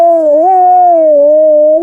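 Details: Liza, an Alaskan Malamute, howling along with the monthly air raid siren test during a winter walk; one loud, steady, mid-pitched note with a slight wavering rise, held for nearly two seconds.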